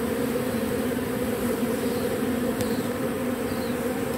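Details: Short stretch of a robber bee's continuous buzzing while it takes propolis from matchsticks, a level drone with a single sharp click midway.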